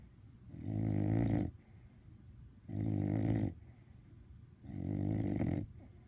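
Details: Sleeping with a cone on, Caine the bulldog snores loudly: three long throaty rattling breaths about two seconds apart, with soft breathing between them.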